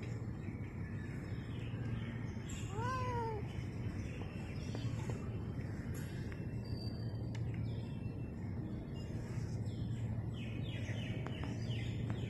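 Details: Stray tabby cat outdoors in Singapore during COVID-19 lockdown, giving a short series of about three rising-falling meows near the start, over a steady low hum and faint chirping birds.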